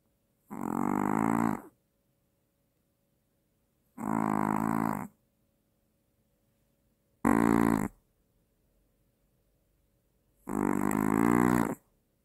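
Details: Sleeping Maltese, a small dog said to have apnea and to snore louder than the father of the household. Four rough, droning snore breaths, each about a second long, coming every three seconds or so in a quiet room.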